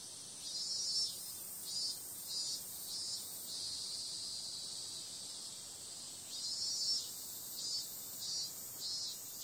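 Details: Night-time cicada chorus in summer: pulsing bursts of shrill buzzing for the first few seconds, a smooth steady stretch in the middle, then the rhythmic throbbing returns toward the end.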